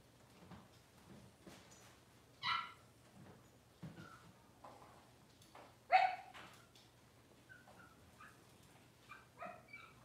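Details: Cavalier King Charles Spaniel puppies, six weeks old, in a pen during deworming and nail trimming, let out two sharp high yelps a few seconds apart, followed by softer whines over a low steady hum.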